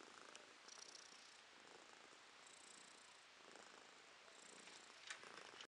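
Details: Quiet purring from Romashka, a pet cat, recorded in April 2023. A continuous low rasp rises and falls gently with her breathing, with a faint click near the end and no other sounds.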